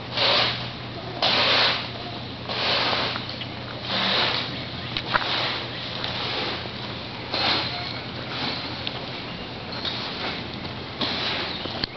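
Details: People talk outdoors over a steady low hum and bursts of hissing, splashing noise.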